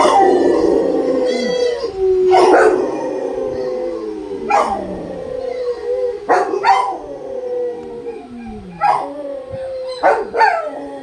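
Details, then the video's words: Several Rottweilers howl together, their overlapping voices sliding downward, broken by sharp yelping bursts every couple of seconds. "howling rottweilers"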